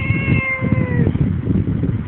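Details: One-year-old female talking cat meowing in a drawn-out, slightly falling tone of about one second while its owner speaks to it in Tagalog; low rumbling background noise.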